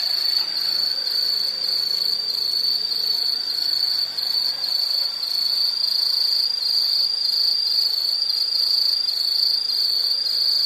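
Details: High, continuous insect trill, finely pulsed and almost unchanging in pitch, runs for over ten seconds at a steady loudness with only one small dip near the middle.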